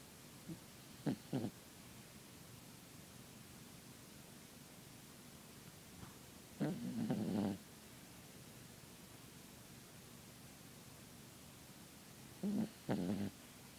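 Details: Sleeping Yorkshire Terrier snoring softly: three short, rasping, low breath bursts about six seconds apart, each lasting under a second, with quiet room hush between them.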